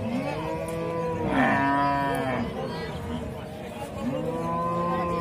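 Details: Cows lowing with overlapping sustained moos. A long, loud call swells in the middle and a second steady moo follows near the end.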